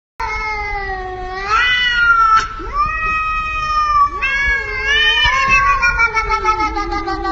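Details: Domestic cat that keeps meowing: long, loud, drawn-out meows, some rising then falling, several in a row across seven seconds, with a person saying "no, no, no" afterwards.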